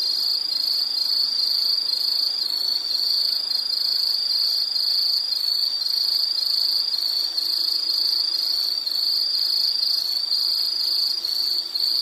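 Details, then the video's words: Insect trilling pulses on without pause, a bright high-pitched buzz with a gentle rhythmic pulsing about twice per second, unbroken for twelve seconds. "Nature Sound of nature sounds scenery L · insect"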